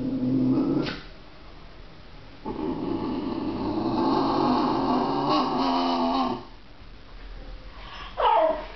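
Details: Two basenjis, one a visiting female, play in their own basenji way, giving drawn-out, wavering yodels and brief yelping notes as one teases the other.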